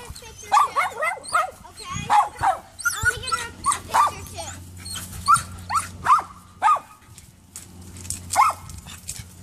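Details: A poodle named Gracie, up a neighbor's tree after Allie the cat, gives a steady series of short, sharp barks about every half second, with a person talking early on.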